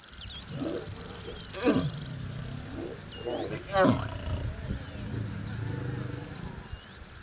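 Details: Lions mating in the Masai Mara National Reserve, Kenya, give rough, throaty growls with two sharp, louder snarls about two seconds apart, over a steady high pulsing chirp of insects in the grassland.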